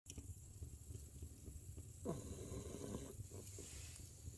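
A French Bulldog snores with low, rumbling, raspy breaths.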